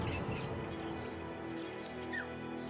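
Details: On the African savanna, a dwarf mongoose sentinel gives a burst of very high, thin chirps in quick succession, an alarm call for danger above after spotting two young tawny eagles, sending the family to shelter in the rocks, over soft music.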